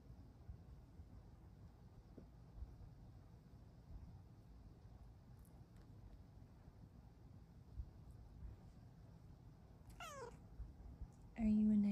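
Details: Luna, a Bengal lap cat asking to cuddle, gives one soft, brief meow that slides downward in pitch after a long quiet indoor stretch; a person's voice starts speaking right afterwards.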